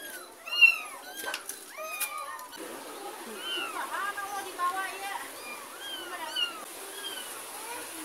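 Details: With a neighbour's kitten being carried away and its mother cat trailing behind, sharp arched meows come in a burst, then softer, thinner mewing continues with occasional human speech.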